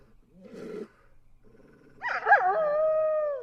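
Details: Eastern wolf, also called eastern timber wolf: a soft low moan, a short pause, then yelping notes that slide into a steady, level howl with clear overtones, held for over a second.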